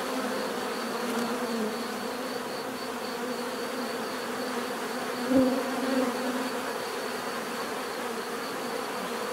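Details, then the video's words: Bees in a relaxing natural setting, a dense steady buzz of many wings humming low with overlapping tones, one louder bee passing close near the middle, continuous throughout. "bees therapy relaxing natural buzzing sound"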